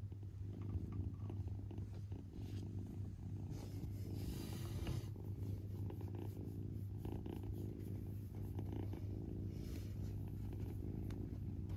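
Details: Low, even purring from a father cat that is with his kitten, steady and unbroken for the whole stretch, with faint rustling and a brief brush of noise midway.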